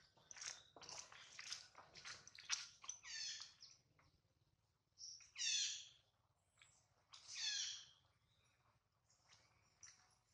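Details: Hungry baby monkey named Adler, missing his mom, cries in a small monkey's hands: quick high chirps, then three long, loud, quavering squeals a couple of seconds apart, each rising and sliding down.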